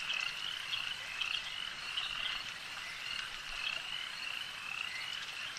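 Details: Frogs calling at a lake: a dense, steady chorus of high, rapid pulsed trills blending into one continuous shimmering band, with brief brighter notes flickering above it and no other clear sounds.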